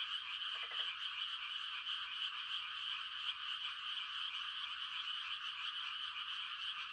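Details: Mating calls of frogs on a still country night: a constant high chirring chorus from numerous callers, with a single low rattling croak close to the start.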